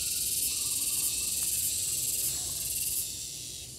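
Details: Gareng pung cicada producing a steady, piercing high buzz with a rapid pulsing texture that softens slightly toward the end, over faint low background rumble.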